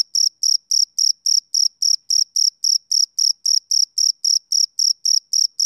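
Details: Rhythmic chirping from a male cricket on a summer evening, short shrill pulses at a constant pitch following each other regularly, roughly three and a half per second, with a clean silent background.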